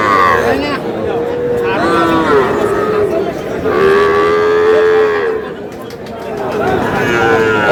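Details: Small bull calves at a cattle market being bought by a Noakhali farmer on 11 July; several drawn-out, fairly high-pitched moos overlap and follow one another, with people bargaining and chattering throughout.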